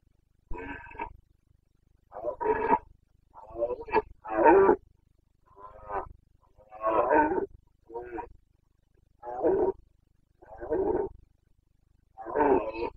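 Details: Carpathian red deer stag in the Bucovina mountains of Romania during the breeding season, late September: a series of harsh, throaty roars and groans in bursts about a second long, repeated with short pauses, loud and clear over quiet background.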